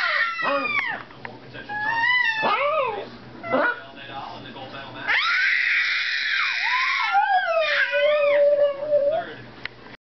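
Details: Indoor dog singing along with a screaming baby: wavering howls slide up and down, then settle into a long steady held tone near the end, mixed throughout with the baby's high shrieks and cries.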